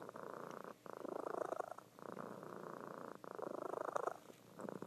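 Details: Female domestic cat asleep and purring loudly indoors; pulsing, throaty purr in three breath-length swells, each ending in a brief pause.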